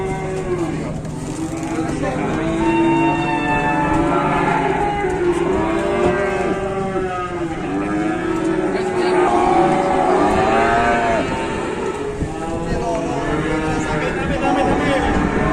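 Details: Slaughter cattle being unloaded and manoeuvred at a market moo repeatedly: a string of long, rich, arching bellows rising and falling, one after another, over constant engine hum and occasional voices.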